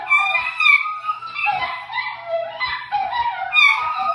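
An Italian Greyhound howls in long, wavering, high-pitched tones that slide up and down.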